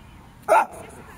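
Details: Jack Russell Terrier giving a single short, sharp bark, a loud burst with a quick stop, while a woman speaks Latvian nearby.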